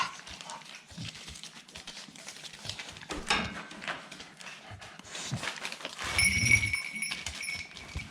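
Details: Staffordshire Bull Terrier puppies at close range: scuffling, clicking movement noises and breathy rustles, then a short, low rumbling vocal burst near the sixth second, with a thin, steady high whine running in the background.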